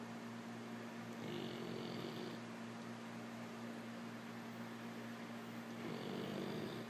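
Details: Ozymandias, a black Labrador Retriever, snoring while asleep: two soft drawn-out snoring breaths several seconds apart, over a steady hum and hiss.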